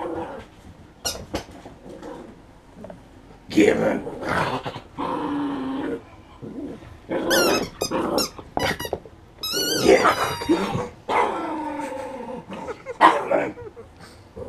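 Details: A pet poodle named BOOMER playing with a rubber toy, March 2016: long throaty growls mixed with squeaky toy noises and a person talking over the play.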